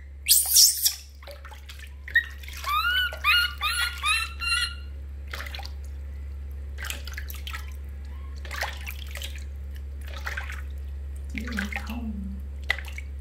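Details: Baby monkey named Lori crying loudly while being bathed indoors: a run of about six harmonic, wavering cries close together, then scattered splashes and drips of bath water.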